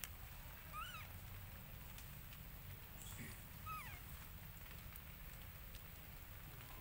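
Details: Baby monkey Lucie crying loudly at an angry mother who refused her milk; two thin, arching whistled cries a few seconds apart over a steady hiss.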